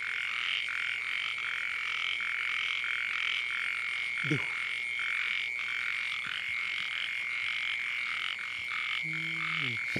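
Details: Frogs at night in the rain amid floodwater, giving a continuous chorus of quick pulsed croaks in repeated blocks above a constant shrill tone, with a brief low voice sound midway and another near the end.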